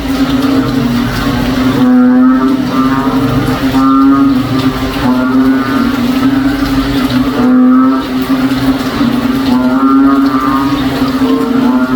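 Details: A continuous mechanical drone fills the whole stretch, a low hum that wavers slightly in pitch. No distinct animal calls can be picked out above it.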